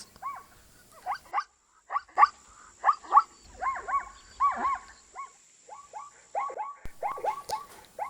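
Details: Zebra from Africa neighing: a run of short, arched, yelping barks with clear overtones, coming in quick uneven bursts, some notes doubled into hee-haw pairs, with a faint steady high hiss in the background.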